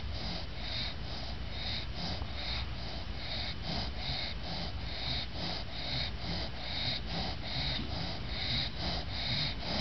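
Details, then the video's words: Lucy, a female English bulldog, snores while lying exhausted after bathing, eyes open as the camera approaches; rhythmic snorts repeating a little over once a second, breathy and rattling throughout. "english bulldog snoring with eyes open"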